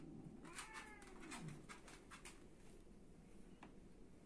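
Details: Domestic cat, filmed as a fighting cat, gives one short wavering meow early on. Scattered clicks and scuffling taps follow over a steady low hum.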